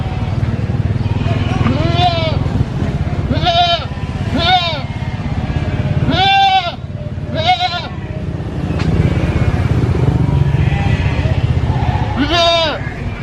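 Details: Baby goat with a severed leg, standing on only three, gives about seven loud, strained screaming bleats, each a short harmonic cry that rises then falls, spaced irregularly one to four seconds apart, with people talking and low engine hum behind.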